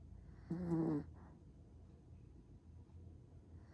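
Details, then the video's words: Seol-i, a black Pomeranian small dog, snoring indoors: a single half-second rasping, buzzy snore with a low harmonic drone, then quiet low breathing and faint room hum, with a brief start of another snore at the end. "포메라니안 코골이 •소형견 코골이"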